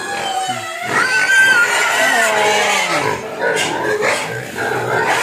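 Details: Crying pigs begging for food, loud wavering squeals with a few long downward-sliding cries around the middle, surrounded by a constant chorus of squeaks and grunts.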